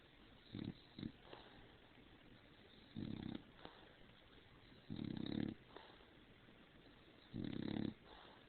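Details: Female pet dog snoring loudly indoors after crawling under the covers and overheating, then poking her head out. Rough, low rasping snores last about half a second each and come roughly every two seconds in a quiet room.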